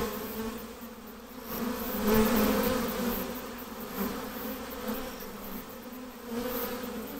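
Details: Honey bee swarm being hived, a dense droning buzz with a steady low hum that swells and fades in waves, loudest around the middle, with soft rustling beneath.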